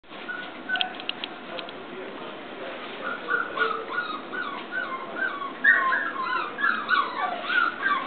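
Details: English Cocker Spaniel puppy, 34 days old, playing with a mobile phone indoors: thin high whines and squeaky yips, slurred up and down, growing more frequent and louder in the second half, with faint background voices.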